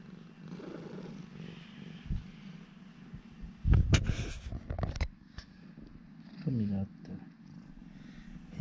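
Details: Urara, a friendly former rescue cat, purring indoors while her owner chats with her; a steady low rumble runs throughout, broken around the middle by bursts of a man's voice and handling noise.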